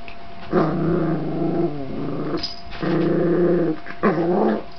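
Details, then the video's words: Pet dog reacting to a virtual dog barking from a small box: three drawn-out, harmonic growling bursts of roughly one second each, separated by short pauses, with a brief higher yelp-like accent between them. "My dog being cheated by virtual dog barking sound"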